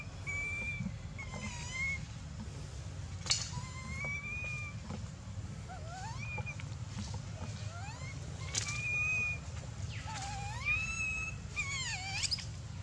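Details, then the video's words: Dito, a baby monkey, cries and screams for milk, also biting Anya; a steady series of whining, wavering tonal cries, some rising, some sliding down, repeated throughout over a constant low hum, with a few sharp clicks. "POOR BABY MONKEY SCREAMING NO MILK"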